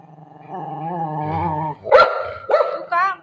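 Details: Shih tzu living alongside a golden retriever gives a wavering, tonal whine for over a second, then three quick sharp barks in close succession, while a woman speaks in Marathi.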